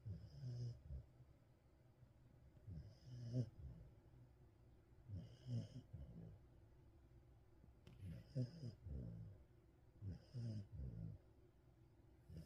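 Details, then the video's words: A sleeping Welsh Corgi, jokingly called a snoring calf, snores in a steady rhythm. Low rasping snorts come about every two and a half seconds, and each breath ends in a faint higher wheeze. The room is otherwise quiet. "코골이 송아지 검거"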